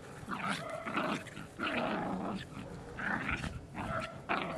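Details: Dogs growling in rough, noisy bursts of about half a second to a second, four or five grumbling rumbles with gaps between them, harsh and raspy throughout.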